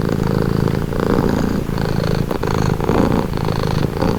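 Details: Close, loud purring of a domestic cat, offered as a soothing sound; low throbbing rumble in breath cycles of under a second, steady throughout.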